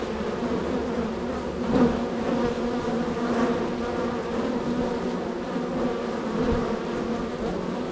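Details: Honey bees at a busy hive set in a row of hives, extremely active with many arrivals and departures; a thick, even drone of many wings, briefly louder near the two-second mark.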